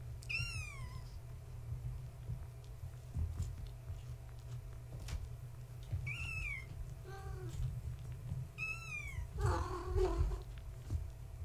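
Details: Gaia, a floofy tabby mother, with her kittens born March 14, 2017, at bedtime indoors. Three high, arched kitten mews come at about half a second, six and nine seconds, with a short lower call and a deeper, longer meow near the end over a steady low room rumble.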